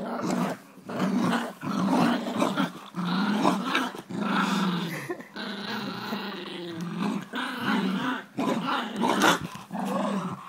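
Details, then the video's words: Jack Russell Terriers Jax and Rosco growling while playing tug-of-war indoors, a continuous rough rumbling growl in bursts of one to two seconds with short breaks, loud and sustained through the whole stretch. "Jack Russell Jax and Rosco tug-o-war"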